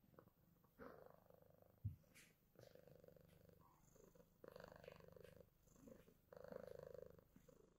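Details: Deep pulsing purr from a male pet cat cleaning snow off himself after being outdoors, rising and falling in waves with a sharp thump partway through and stronger rumbling toward the end.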